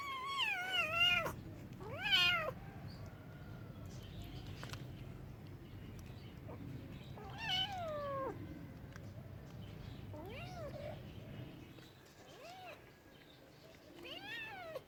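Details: Domestic cats meowing: a string of drawn-out, bending meows, some rising then falling in pitch, spaced roughly every one to two seconds with a few quick overlapping calls, over a steady low background hum.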